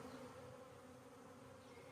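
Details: Honey bees covering the cage of a newly introduced queen, calm rather than attacking it, which shows acceptance; a continuous even drone fills the hive.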